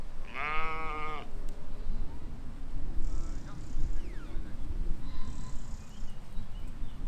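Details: Grazing in a field among lambs in spring 2020, a sheep opens with one loud, quavering baa lasting about a second, followed by low field noise and faint distant chirps.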